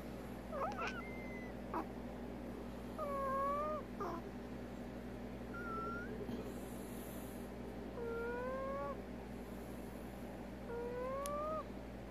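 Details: Prairie dog Veronica, sick with an odontoma, producing abnormal calls: clusters of brief nasal whines that curve upward, with bright overtones, separated by short pauses, over a steady background hum.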